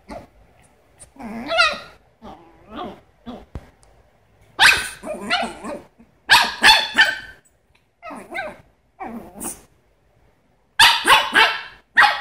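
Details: Smooth Brussels Griffon dog giving a long volley of sharp, yappy barks, some single, some in quick triplets, with short growly grumbles between bursts and brief gaps of near silence.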